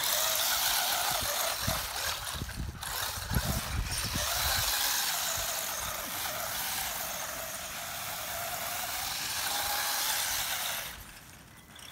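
A toy car's motor whines steadily over low thumps and rumbles, with no animal voice heard.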